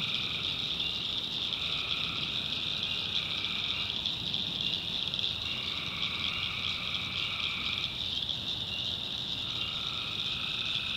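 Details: Dense tree frog chorus at night, North Carolina backwoods swamp: a constant piercing trill overhead, while a lower calling band switches on and off in spells of about two to three seconds.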